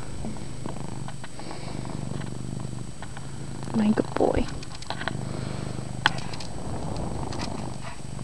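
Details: Chase, a male pet cat, purring loudly indoors in a dim bedroom: a low, steady rumbling throb runs throughout, with a person's voice talking briefly near the middle and a sharp tap near the end.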